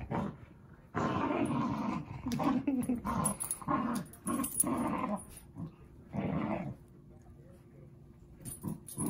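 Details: Zuko playing with Izzy, two dogs at play: rough, low, rumbling growls in bursts lasting about a second, broken by short pauses, with a human voice now and then.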